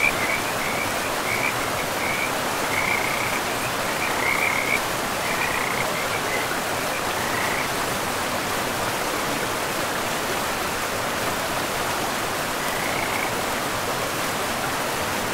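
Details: Frogs calling beside a river in a pristine forest: short, pulsing mid-pitched trills come in several bursts over the first half, then one more near the end, all under a steady rushing of river water.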